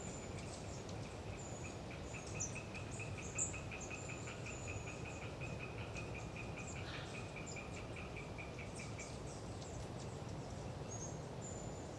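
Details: Tree frogs (Hyla orientalis) in the Galeriç Swamp Forest of the Kızılırmak Delta near Samsun on a windy autumn day: fast, evenly repeated clicking pulses for about nine seconds, overlaid by high-pitched long-tailed tit notes and constant roaring wind.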